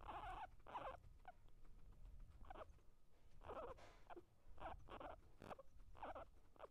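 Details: Fighting, eating guinea pig giving short broad squeaky bursts in uneven clusters, some quick doubles, separated by quieter gaps with soft crackling and chewing noise underneath.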